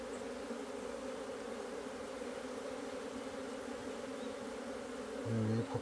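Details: Asian honey bees in a hive on 26 September 2023, working at removing their food comb; steady low hum throughout, with a brief tonal human sound and louder rustle near the end.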